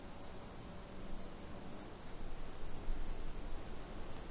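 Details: Crickets on a summer night, high short chirps in irregular clusters, some paired, above a steady background hiss.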